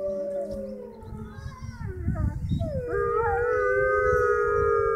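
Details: Several gray wolves at the Toronto Zoo's Canadian Pavilion howl together near closing time, their long, sustained tones sliding and overlapping in a rising, wavering chorus.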